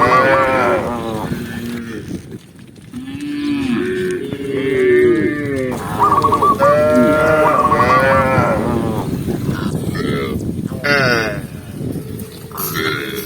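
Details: Herd of tame cows walking along a green forest path; a chorus of mooing, low sliding calls mixed with higher, strained ones, overlapping continuously, with rustling and footsteps beneath.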